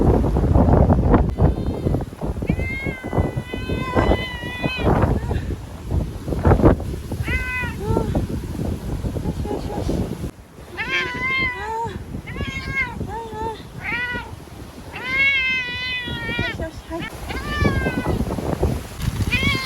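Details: A timid ear-tipped cat, Chanta (once called Nyaa), cries repeatedly after being caught and shut in a bathroom for safety from Typhoon No. 10 in Okinawa, September 2020. There is a long series of loud, wavering, drawn-out meows and a human voice.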